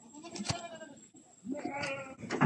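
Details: Goat being fed young durian on a farm; after a quiet stretch with a sharp click, one wavering, nasal bleat rises and trails off, with light rustling around it.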